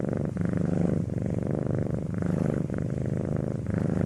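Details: Continuous low purr of a domestic cat, throbbing rumble that swells and eases with each breath about once a second, clean and close.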